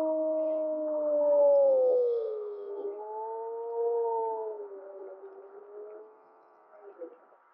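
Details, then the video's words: Gray wolf 1048M of Mollie's pack, April 2025, howling with the second harmonic louder than the first. A long smooth tone slides gradually downward, holding, dipping and fading over about seven seconds, with a faint short note near the end. "Howl of 1048M of Mollie's Pack"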